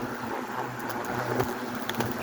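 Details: Many Asian hornets crowd around their nest, giving a steady, dense buzzing hum that fills the whole stretch, with faint scattered clicks and rustles over it.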